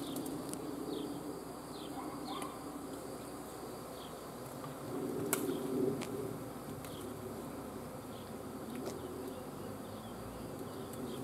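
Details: Swarm of honey bees humming as a dense, steady low drone with a brighter band around the middle, faint bird chirps above and a few sharp clicks.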